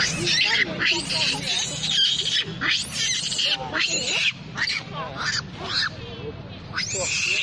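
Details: Monkey mother with babies crying loudly while a big monkey attacks her: shrill, high screams in rising and falling arcs, repeated in rapid bursts, with voices of people talking underneath.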